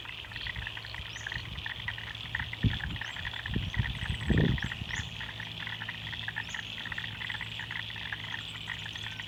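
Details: A dense chorus of frogs in Australian wetlands calls steadily in rapid, pulsing notes, with a few bird chirps above.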